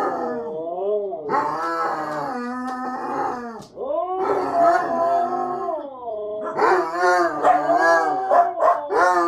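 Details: Three dogs, a Husky, a Basset Hound and a small dog named Lady, howling together while their dinner is prepared: long wavering harmonic howls that rise and fall, overlapping voices, ending in shorter choppy yips and yodels.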